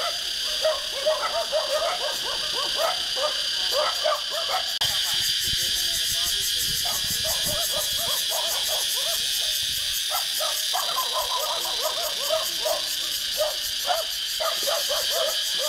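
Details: Numerous wild cicadas in trees in Vietnam keep up an unbroken shrill buzz that shifts in texture midway and becomes more strongly pulsed. Frequent short chirps sound underneath.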